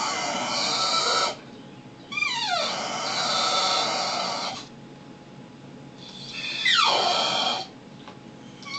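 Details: Brutus, a pet dog, acting like a baby at home. Three long, strained, harmonic whining cries, the second and third each sliding downward in pitch partway through, with quiet pauses between bouts.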